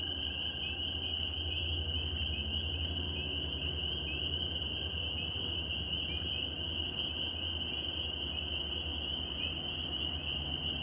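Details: Northern spring peepers in New York in spring form a dense tree frog chorus, a steady, shrill, high-pitched ringing trill over a low background rumble.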